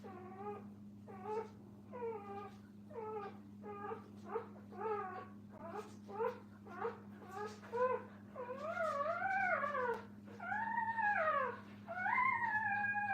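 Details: Puppies with their mother at a kennel give a run of high, wavering whines, each short and repeated about every second, later turning into longer rising-and-falling cries, over a steady low electrical hum.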